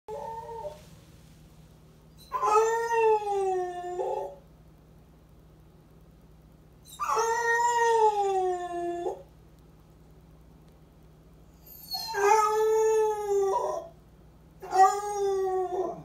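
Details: Male pet Basset Hound howling while he thinks he is home alone indoors: four long, wavering, richly harmonic howls of about two seconds each, separated by pauses, over a steady low electrical hum.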